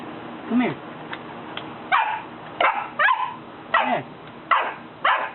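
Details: ,Three-month-old Golden Retriever puppy, scared to come down a single step, stands barking at its owners; sharp yippy barks repeat roughly every half second to second, with a person's voice coaxing it in the background.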